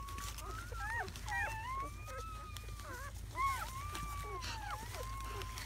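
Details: Litter of seven newborn German Shepherd puppies in their first hours, 7–8 May 2017. Long, drawn-out thin whines hold steady while several overlapping short squeaks and yelps from other pups chatter underneath.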